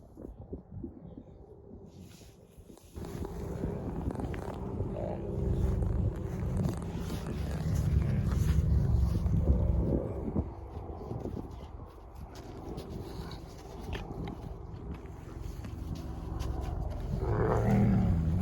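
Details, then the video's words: Two wolfdog puppies tussling over a rope toy in play: a long, low, rumbling growl with a rapid, throbbing pulse that swells and fades, and a brief higher whine at the end. "Wolfdog Growls & Weird Funny Strange Noises These Two Puppies Make"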